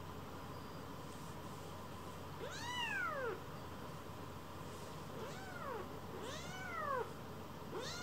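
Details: Rescued kittens Leo, Pon and Chiro climbing onto a lap to be petted; four distinct arched mews, rising then falling, spaced roughly a second or two apart over faint steady hum.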